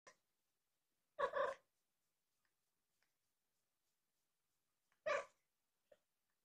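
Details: Mrs. C., a four-year-old rescued mother cat at Purrfect Pals with her kittens Richie and Joanie, born June 29th 2020, chirps while a kitten is held up close: two short harmonic chirps about four seconds apart in a quiet room.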